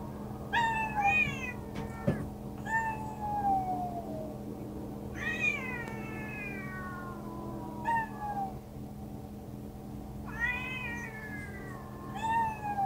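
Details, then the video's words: Several domestic cats meow repeatedly. Each meow is short and clear, starting high and sliding downward, coming every two to three seconds over a quiet background hum with one soft knock. "말하는 냥이들"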